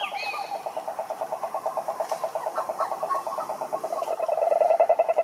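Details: Cururu toads (Rhinella marina) in a lake in Brazil's Atlantic forest give a continuous rapid pulsed trill, a low buzzing rattle that swells louder near the end, with a brief high whistle at the start.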